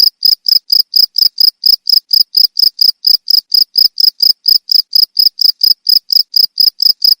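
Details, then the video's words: Cricket calling, offered as a sound to drive away rats: a steady run of short, shrill chirps, about four each second, evenly pulsed and high-pitched, with nothing else audible. "SUARA JANGKRIK"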